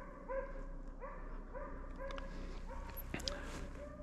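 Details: Arrow, a Slovakian hound, barking at bay over a wild boar on a driven hunt in Sweden, November 2022; roughly seven evenly spaced barks in four seconds, clear and tonal, with a brief knock near the end.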